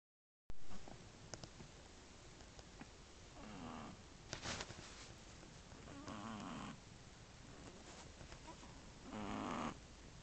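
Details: Sleeping Shih Tzu puppy, one month and three weeks old, snoring beside its sisters, one of which also snores faintly now and then; soft, low, buzzy snores about half a second long recur every two to three seconds over a hissy background.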